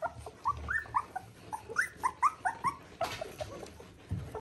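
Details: Border Collie pups at three weeks, litter of Ori and Cru, give quick high whimpers, about three a second, each a short up-and-down squeak, broken by a brief rustle or bump near the third second.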